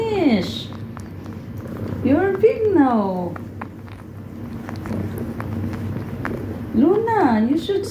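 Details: Pet cats at home: Luna, a mother cat who still nurses her adult daughter. Three drawn-out meows, each rising then falling, at the start, middle and end, over a low steady hum, with a person speaking to Luna.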